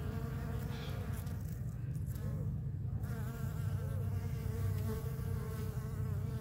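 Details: Bees collecting sap from a pepper tree's bark make a continuous low, buzzy drone with a rich layered tone, many wings humming together into one even, throbbing sound.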